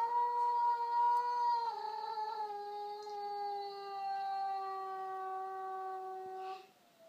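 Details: A female Border Collie gives a long, steady howl that dips slightly in pitch and holds.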